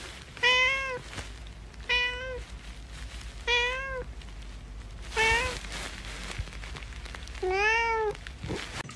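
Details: Domestic cat from a funny cat compilation giving five clear, tonal meows, each about half a second long and spaced roughly every one and a half seconds, with a quiet room background between calls.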